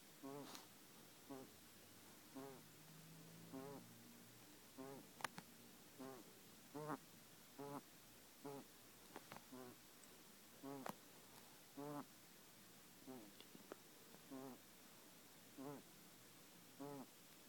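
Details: Kenny, a pet male guinea pig with a breathing problem, makes wheezy, squeaky breaths with a wavering harmonic tone, each about a second apart, repeating steadily throughout with faint clicks between.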